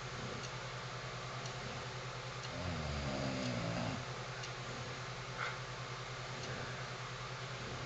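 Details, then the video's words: Sleeping English bulldog named Missy, a nine-year companion, lets out a single drawn-out guttural snore with a rattling, pulsing texture, set against a constant low electrical hum in a quiet room. "Snoring English Bulldog"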